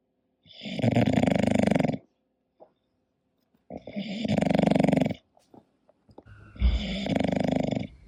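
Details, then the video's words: Asleep and snoring, an English Bulldog produces three evenly spaced, gravelly snores about three seconds apart, each lasting over a second, with a small snort between. "My english Bulldog snoring"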